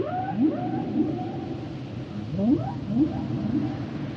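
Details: Humpback whale song: rising upswept moans around the low-mid range repeated roughly every half second to second, with sustained higher tonal wails layered above, over a steady underwater hiss.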